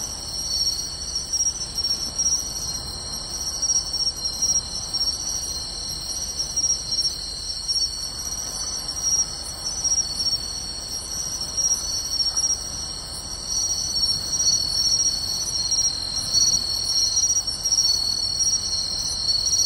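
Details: Pine crickets, bell crickets and other insects singing together on a summer night in beachside grassland, Tainai, Japan, 24 August 2020: a dense, continuous high shimmering trill with sharp ringing pulses repeating on top.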